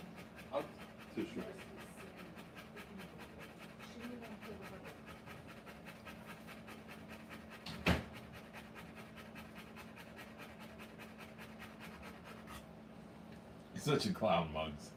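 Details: Fast rhythmic panting of a Rottweiler during the live birth of her puppies, nearly three breaths a second, interrupted by a sharp thump midway and a burst of louder movement and voices near the end.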